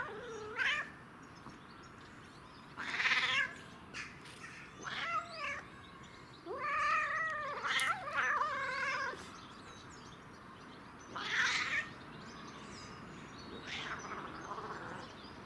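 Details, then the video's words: Under the influence of catnip, a domestic cat utters a run of long, wavering yowls, the longest lasting over two seconds, mixed with shorter meows across a quiet room. "Cat Makes Funny/Weird Noises While Enjoying CatNip"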